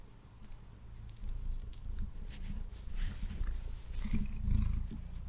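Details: Male pet cat eating and purring near a Blue Yeti microphone; a deep, continuous rumble swells and fades, topped by scattered wet smacking and crunching sounds of food being chewed, strongest toward the end.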